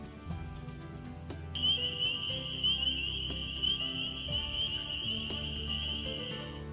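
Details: A whole field of spring peepers in Missouri calls together, a dense ringing chorus of high, shrill peeps over soft music.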